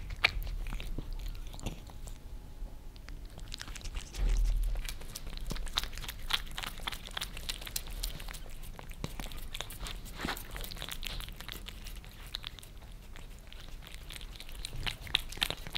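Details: Two pet cats, Lissy a Maine Coon and Fritz a British Shorthair, lick favorite creamy treats off a glass table indoors in Germany; rapid wet clicking licks pattering about four times a second with soft smacking throughout.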